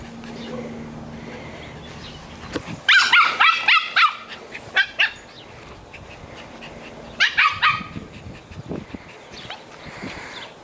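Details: Small pet poodle playing tetherball, giving two bursts of sharp, bright barks around three and seven seconds, four or five quick yaps in each run, with rustling play noise and a low steady hum in between.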